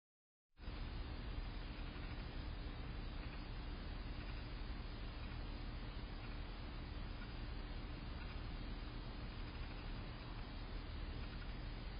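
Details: Steady low rumbling noise, like an engine or wind, with a faint constant hum and no animal calls.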